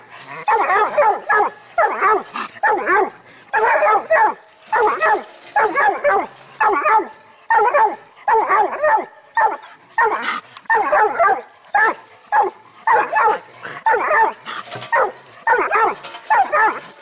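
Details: Six-month-old pup giving a long, steady run of loud, ringing barks, roughly one burst every second or less, each bark with a bending pitch, continuing without pause, with no other clear sounds.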